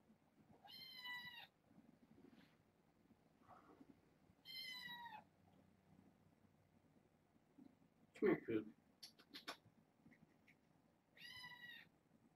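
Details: Indoor kittens from a litter of six, four girls and two boys, born August 29th: three clear harmonic meows arrive several seconds apart, each a drawn-out high whine, with a sharp clatter and brief voices in the middle.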